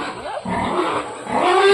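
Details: A brief burst of pig noise at feeding time: continuous rough squealing that strengthens toward the end, with a thin rising whine in the final moments.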